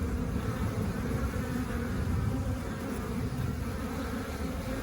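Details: Honey bees busy collecting nectar outside the hive make a continuous, deep, gentle drone of many wingbeats, steady without breaks or sharp rises, marking calm, contented foraging.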